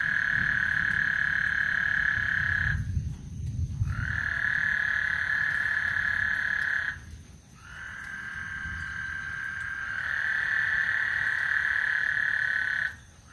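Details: Frog serenade on Lake Houston as a thunderstorm approaches: sustained, steady buzzing trills lasting several seconds, interrupted by short gaps, over low rumbling sounds.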